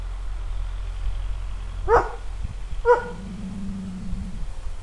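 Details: Four-year-old Kuvasz female warning at a passing traction engine while teaching an eight-month-old male to guard, recorded outdoors near woods; two deep barks about a second apart over a constant low engine rumble.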